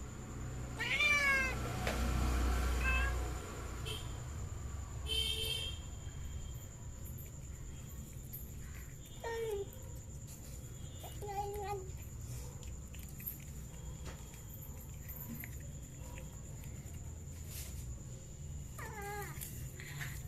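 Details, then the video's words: Cats eating fish make a sharp rising cry at the start, then scattered short meows and chewing noises through a long stretch of low background hum. "Cats Making Funny Sounds While Eating Fish"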